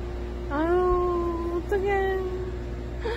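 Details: Rescued Haeundae stray cat, one of a mother-and-daughter pair that survived seven years on the street with bones that healed crooked after a traffic accident. It gives a drawn-out, level meow of about a second, then a shorter second one over a low hum.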